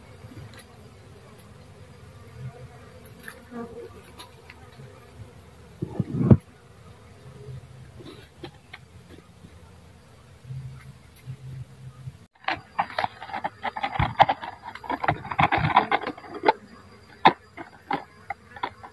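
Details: Dwarf honey bees buzzing: a steady low droning hum through the first half, then louder irregular crackling and rustling bursts over the hum in the second half.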